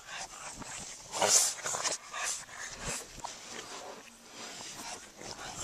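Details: Two Boston Terriers chasing each other in play give sharp, bursting barks and yips, loudest near the start, over hissy background noise.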